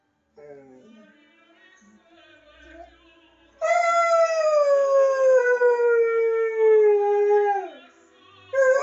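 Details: Borzoi hound in Llanrwst, North Wales, howling along with Pavarotti's Nessun Dorma. Faint operatic music is followed by a loud, sustained howl that slowly sinks in pitch for about four seconds, then drops off sharply before another howl begins.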